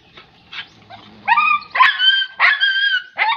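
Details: German Shepherd puppy letting out drawn-out, high-pitched barks with a whiny, tonal quality, four or five loud yelps following soft lead-in sounds, each bark stretched and slightly rising.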